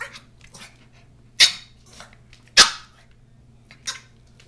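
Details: Sharp, high yips come from Holly, a Norwich Terrier puppy aged four months, in three quick bursts just over a second apart, the middle one loudest. A faint low hum runs throughout.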